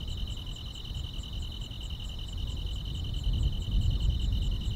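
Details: On a still rural summer night, grass insects keep up a fast, pulsed high trill with light chirps layered above, while low-pitched background noise grows louder toward the end.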